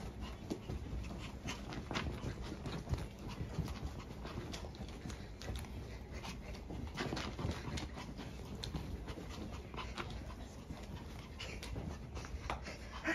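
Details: Maltese dog so eager to go for a walk, panting fast and steadily through the whole stretch, breaths coming in quick rough bursts, with faint taps and rustling indoors.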